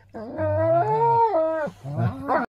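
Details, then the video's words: Dog, one of a rottweiler, ridgeback and doberman group, talking to its owner about the day: a drawn-out, rising then falling howl with a deep grumbling undertone, ending in a short higher yelp. "Troops telling daddy about his day."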